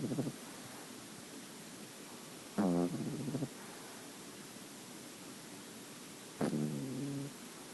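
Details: Nine-week-old female French Bulldog puppy with a white-cream coat snoring: two short, rasping, harmonic snore bursts roughly four seconds apart over a quiet background.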